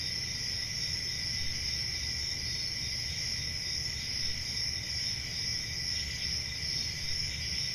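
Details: Country summer night crickets chirping together in an unbroken, high-pitched ringing trill, several voices stacked at different pitches, steady volume throughout, soft low hum underneath.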